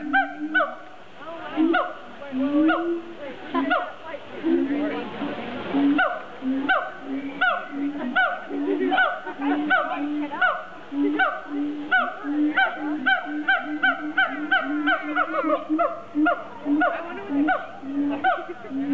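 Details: Siamangs at a zoo, possibly fighting, call loudly with a series of nasal, honking barks, each sharply pitched and repeated about twice a second; a few swooping, rising whoops early on break the rhythm before the barks settle into a steady run.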